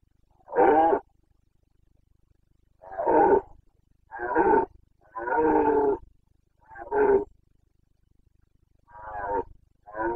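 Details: Rutting Carpathian red deer stag in the mountains of Bucovina, Romania, on 29 September 2022, delivering a series of six or seven coarse, throaty roars roughly every second to two seconds, each short and harsh.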